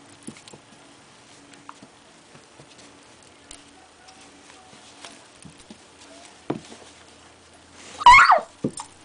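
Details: Trooper, an Australian shepherd/lab mix, wrestles with Ammo, a miniature dachshund, on a shop floor. Quiet scuffling and paw patter run throughout, then one sharp, high, wavering yelp bursts out near the end.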